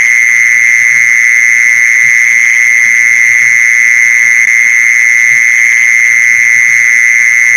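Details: Mole cricket sound played to lure mole crickets: one unbroken, loud, steady buzzing trill holding a single pitch with no pauses, over faint low thumps and rumble.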